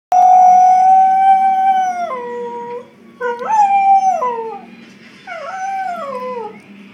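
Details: Pet Border Collie howling indoors in response to sirens on television: a long steady tone falls in steps after two seconds, then two more sliding, wavering howls that drop in pitch, with a quiet low hum underneath.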